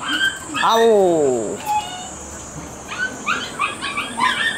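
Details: Shiba Inu puppy playing outdoors before being taken back to its mother, crying because it wants to go home; one long, sliding, descending whine, then faint high squeaks, with other puppies playing nearby.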